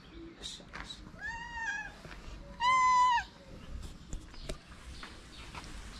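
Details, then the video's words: Hungry cats, one of six gathered at feeding time at a small shelter for abandoned kittens in Morocco, give two drawn-out harmonic meows, the second louder and slightly rising then falling, with soft rustling and clicks between. "When the food was served, 6 hungry cats gathered around me."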